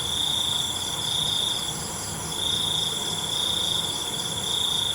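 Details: Night crickets in a relaxing natural soundscape: two extended high trills separated by a short pause, with steady faint insect buzzing behind them.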